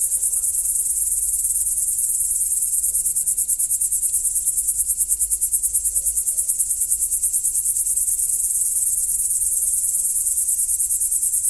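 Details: Cricket. A dense chorus of crickets at night, a high, silvery trill that throbs in quick, even pulses without a break. A faint low hum sits underneath.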